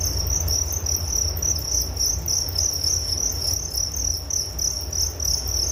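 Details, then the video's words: Crickets keep up a bright, rapidly pulsing high trill, the beats slightly wavering in strength, over a steady low background rumble. "Relaksasi Suara Jangkrik Penghantar tidur || Nature Sound of Crickets"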